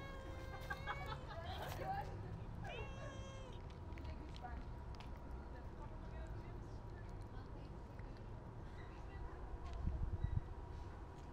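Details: Stray cats being fed outdoors on the street: two drawn-out, bright meows in the first few seconds, the first wavering and the second rising then falling. After that comes a steady urban hum and a low knocking near the end.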